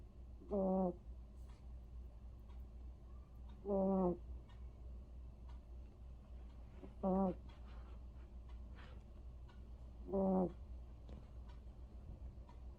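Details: Vere the cat, asleep and snoring: four short, low, buzzy snores with a rasping edge, evenly spaced about every three seconds, over a steady quiet background hum.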